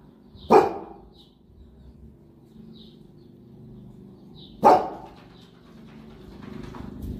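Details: Two sharp, deep barks about four seconds apart break over a low droning hum as a Boerboel from the Egyptian pair Enzo and Diva plays. Faint chirps sound between the barks.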